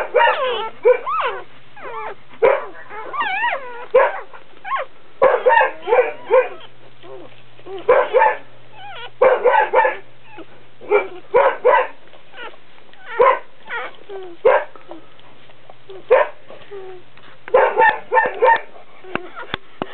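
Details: Squealing and yipping during a Dobermann birth as a puppy arrives, with quick wavering whines repeated in rapid clusters every second or two across the stretch and a low background hum.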